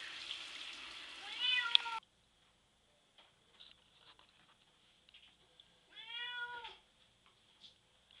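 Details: Bubby, a pet cat put in the bath, meowing and scratching at the shower door, wanting out. Two drawn-out, wavering meows: the first over hissing running water, which stops abruptly, the second in near quiet amid faint taps and scratches.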